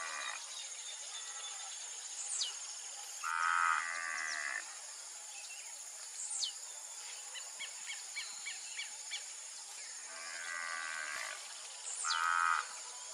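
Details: Crossbred Angus heifers from Nelore and Aberdeen Angus parents, kept on an extensive beef ranch in Brazil; three separate lowing moos spaced several seconds apart, with sweeping bird calls, quick chirps and a constant shrill insect hum behind.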